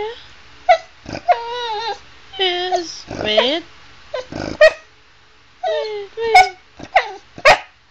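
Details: A pet female Chow Chow talking to her owner about things she wants to share and do: drawn-out, wavering whine-yowls that rise and fall, given in bursts with short gaps, mixed with the owner's speech.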